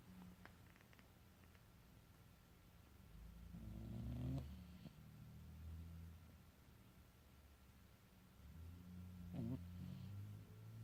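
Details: Male domestic cat snoring while asleep: soft, low rumbling breaths with the loudest swells near four seconds and again near ten, over a faint steady hum and quiet room background.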